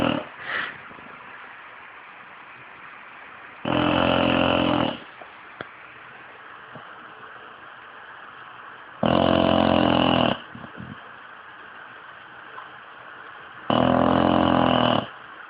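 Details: A 5-year-old English bulldog snores loudly, each rough, rattling breath lasting about a second with long quiet gaps between.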